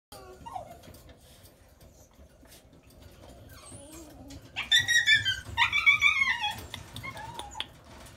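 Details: Red-coated Mame Shiba Inu dog whining: after a faint early squeak and quiet low rumble, a burst of high, wavering, strongly harmonic cries comes in two clusters around the middle, then a short thin squeak near the end, in a quiet room.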